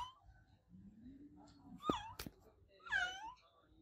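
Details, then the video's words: Adopted domestic cat meowing loudly: a brief arched meow near the middle, then a longer, rich, wavering meow near the end, with a low drawn-out voice and a few sharp clicks earlier. "Cat Meowing Sound My Adopted Cat Olevia Meow Loud"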